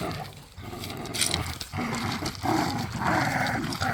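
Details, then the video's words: Pit bulls wrestling over a tug toy in a yard give low, rough growling that swells toward the end, with scuffling and a brief squeak near the close. "The Sounds of Snarling, Growling and Squeaking"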